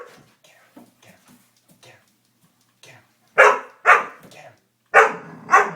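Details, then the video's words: Doberman scared by a prank, barking: faint soft sounds during the first three seconds, then four loud sharp barks in two pairs near the end. "Funny Doberman Prank | Dog Prank | Dog is Scared as Hell"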